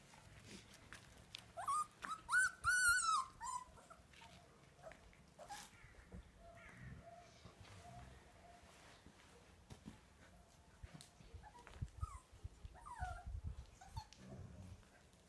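Siberian husky puppies give high, wavering whimpers and yelps, with a person talking quietly nearby.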